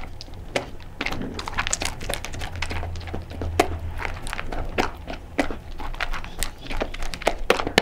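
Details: Sofie, a blind cocker spaniel, eating dry crunchy kibble in a small room for ASMR: sharp, scattered crunches and clicks with a low steady hum underneath for a few seconds.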